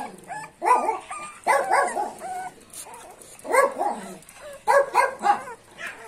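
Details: Wire Fox Terrier puppy giving high, whiny yips and short barks in clusters of two or three, with quiet gaps between bursts and some background noise.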